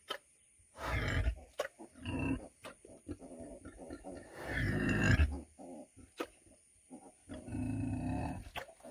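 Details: Female pig weighing 100 kg grunting repeatedly in low, gravelly bursts of about half a second to a second, irregularly spaced, with clicks and thumps between calls.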